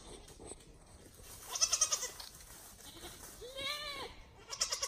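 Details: Free-range farm goats from a herd returning home on their own at dusk to be penned for the night: a short nasal bleat, then a louder, longer, wavering bleat near the end, over faint high chirping.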